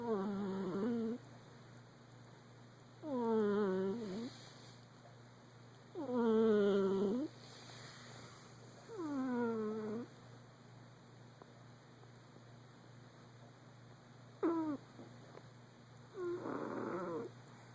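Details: A sleeping male Persian cat, dreaming, gives voiced, whining snores, each a falling, droning moan about every three seconds.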